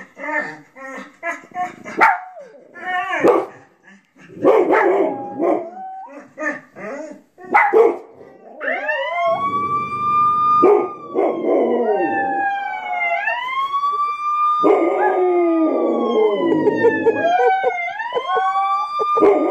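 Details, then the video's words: A Rottweiler howls at TV sounds in long wavering tones rising and falling, joined by a howling Chihuahua, with a siren-like sound from the TV. "Rottweiler and Chihuahua howling at TV sounds"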